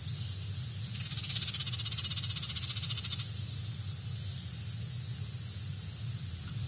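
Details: Feisty native red squirrel at BWHQ, showing everyone who's the boss, gives a rapid, dry, pulsed rattling chatter lasting about two seconds over a constant low rumble of background noise.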